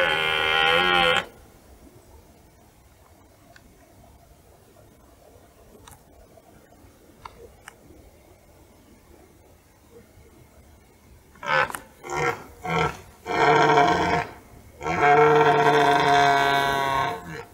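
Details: Red deer stag roaring in the rut on a forest meadow: a loud, hoarse, drawn-out roar, then a pause and a series of short, grunting roars building into another long bellow; quiet background.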